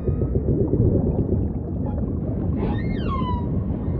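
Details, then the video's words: Steady low undersea rumble, then a single humpback whale song unit near the end: a clear harmonic whistle that sweeps smoothly downward over about a second. "Majestic Whale Song · beautiful humpback & ocean ambience"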